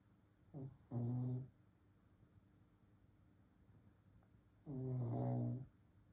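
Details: A sleeping Shih Tzu gives two low, rattling snores several seconds apart, a short soft breath before the first, in a quiet room.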